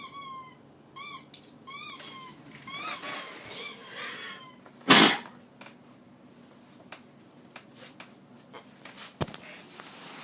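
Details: A pet dog utters a run of short, high squeaks over the first four seconds, followed by a loud knock and scattered clicks and rustles with no further squeaking.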